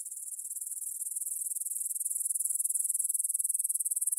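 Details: Grasshoppers stridulating in a meadow near the Svensky monastery in Bryansk, Russia, at 9pm on 6 September 2020, recorded on a Tascam DR-44WL: a high, dry, pulsing buzz, rapid regular chirps steadily growing louder.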